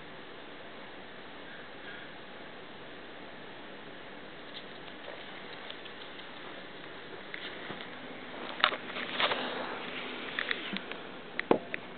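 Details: Low steady background hiss with scattered soft taps and clicks growing busier toward the end, no animal voice heard.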